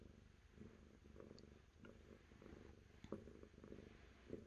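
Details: Purring cat, close and low-pitched, its rumble pulsing with slow breaths roughly once a second, with a few brief higher ticks and clicks over the steady drone.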